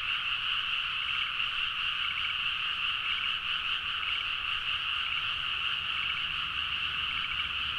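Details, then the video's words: Frogs chorusing at midnight in rice paddies, Nagaoka, Niigata, Japan, recorded with a Zoom H4n; beneath the continuous massed drone, short rattling trills from one frog recur about once per second. "The frog sound at mid night (環境,自然音 -深夜のカエル大合唱-)"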